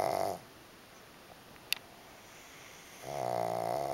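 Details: Pug sleeping relaxed against another pug, snoring: a buzzy rattling snore fades out, a quiet pause with a single click follows, then another steady droning snore breath begins.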